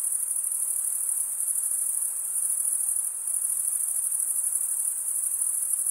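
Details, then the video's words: Male crickets producing their chirp by stridulation, wing scraped against a toothed wing vein. A bright, sustained high-pitched ringing trill with slight shimmering pulses fills the whole stretch, otherwise quiet. "Most relaxing cricket sound for 8 hours"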